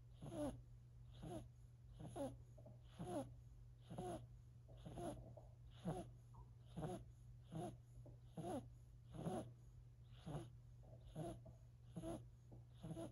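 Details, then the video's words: Silver Siberian kitten Sacha, four months old, snores steadily, a run of soft rasping wheezes at a little over one per second, evenly paced throughout, with a faint low hum beneath. "SIlver Siberian kitten snoring"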